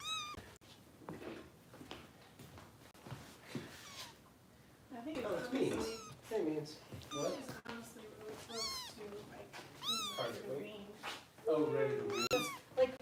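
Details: Foster kittens in Los Angeles, including Harper, during bottle feeding at a kitten rescue: after a quieter stretch with human voices, a run of high, arching mews repeats in quick succession while people keep talking nearby.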